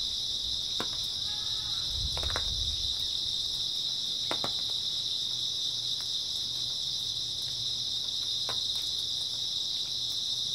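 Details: Grass insects keep up an unbroken, piercing trill through an early autumn night; a brief low rustle or thump and a handful of crisp clicks stand out against the steady chorus.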